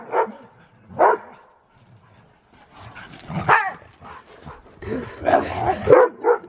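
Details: Siberian Husky doing zoomies in fresh snow, letting out scattered short harsh barks and yips about once a second at first, then a denser burst of overlapping barks and whines toward the end.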